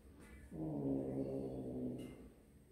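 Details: One of a group of kittens at snack time lets out a single long, steady, low-pitched meow of about one and a half seconds, rich in harmonics, over quiet background.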